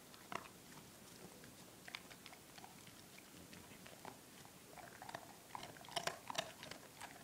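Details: A 4-month-old German Shepherd named Drake eats Milk-Bone treats indoors; irregular crunching and biting clicks, sharp bursts scattered through, growing denser and louder toward the end.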